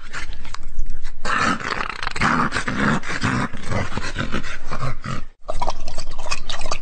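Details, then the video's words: A dog gives a loud, dense, rough growling and huffing sound that runs almost without pause, broken by one short silence near the end before resuming. "GERÇEK KÖPEK HAVLAMASI"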